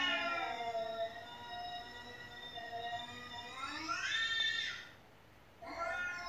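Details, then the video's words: Domestic cat indoors, meowing continuously while cat meow sounds are played to it; a sustained wavering meow swells into a strong rising cry, then a short pause before another meow begins. "แมวที่บ้านร้องไม่หยุด1 เลยเปิดคลิปแมวร้องให้ดู"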